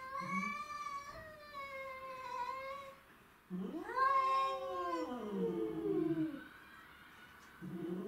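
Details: Black-and-white Tom, ginger-and-white Mimi and a grey-and-white stray, domestic shorthair cats squaring off over territory: sustained nasal howls, a brief pause, then a louder arching yowl that wavers downward, another starting at the end.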